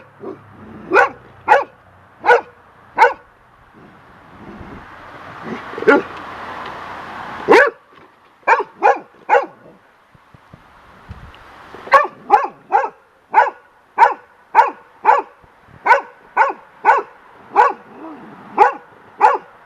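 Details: Lacy, a young golden retriever scared of a large bird feather blowing across the deck, barks in long runs, roughly two per second, with a short pause midway and wind noise between bursts.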